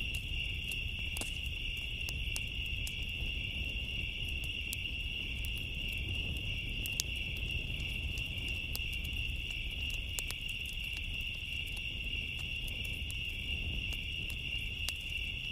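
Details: Summer night crickets keep up a continuous high-pitched trill throughout, never pausing. Scattered crackles and pops from a bonfire and a soft low roar of flames run beneath the chorus.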